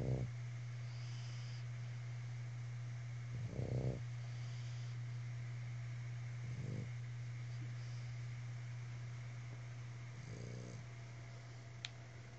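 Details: One of three Boston Terriers sharing a couch snores and snorts in low, rough bursts every few seconds over a steady hum.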